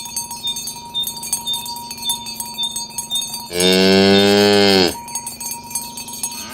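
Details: Tame cows being herded to their pen through a village on a morning, calling others to gather. A single loud, steady moo of about one and a half seconds rises over continuous tinkling cowbells.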